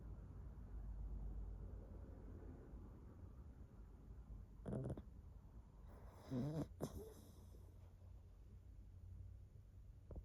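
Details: A pet dog, called the loudest snorer of the house, snoring indoors: a steady low rumble broken by two short breathy snorting bursts midway and a faint click at the end.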